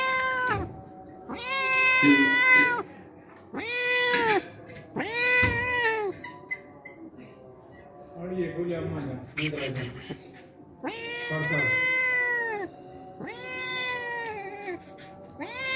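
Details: Homeless cat, hungry and visiting daily for milk, meowing repeatedly: about six loud, harmonically rich meows, each arching up then down, separated by short pauses, with low murmuring and clatter between them.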